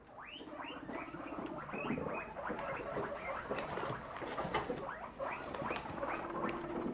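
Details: A baby guinea pig in a hammock gives a low, vibrating purr in short pulsed bursts, among dense, overlapping upward-sweeping squeaks that often drown out the softer rumble.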